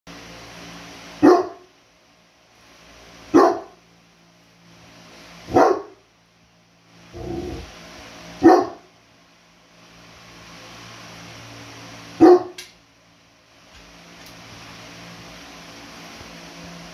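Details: Mabel, a rescued Saint Bernard, barks at her over-excited Tibetan Mastiff brother Kuma because she isn't having it. Six short, sharp barks come at irregular gaps of one to four seconds over a steady low indoor hum.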